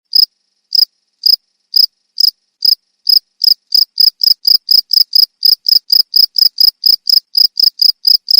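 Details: Cricket giving sharp, high-pitched chirps, spaced irregularly at first, then quickening into a fast, even series of clicks; no other sounds.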